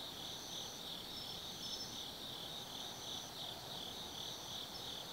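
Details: Autumn night at Tsukimi no Mori in Kaizu, Gifu, where forest insects fill the air with a bright, sustained trilling chorus that pulses softly, a higher trill fading in and out over it.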